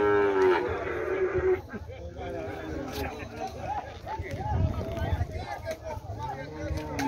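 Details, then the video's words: Water buffalo family at a cattle fair in Tabira, Brazil: a loud low moo opens, then lowing and bellowing of livestock mix with crowd chatter and background noise. "Bois bufalos na feira de gado de Tabira"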